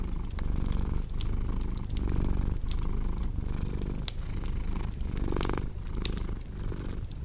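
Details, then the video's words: Purring house cat paired with fireplace ambience: a deep continuous rumble pulsing in breath cycles under a second long, with bright crackles and one louder fizzing burst from the burning wood. "Purring Cat with Cozy Crackling Fireplace Sound"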